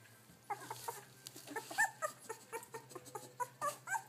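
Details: Kashi, a female Labrador Retriever puppy on day 14, practising her barking: rapid, high-pitched short yips and squeaky whimpers, roughly four per second, uneven in spacing, over a faint steady low hum.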